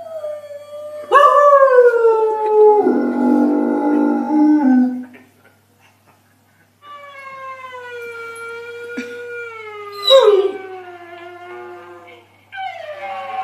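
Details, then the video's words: A dog gives a series of long howls that glide slowly downward, with a rougher, noisier stretch in the middle. After a brief silence come further sustained, slightly wavering howls and a short yelping rise near the end. "Dogs Howling Compilation"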